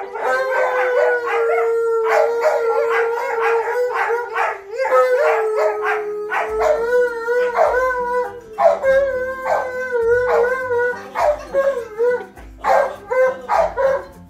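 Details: An excited Alaskan Malamute, reunited with its brother and howling together with a husky, howls in husky, long wavering tones breaking into yips and woo-woo calls.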